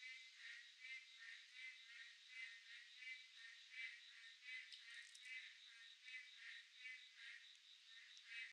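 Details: Midsummer night chorus of boreal digging frogs, dense overlapping nasal croaks pulsing roughly once a second, with a constant high-pitched insect drone behind them.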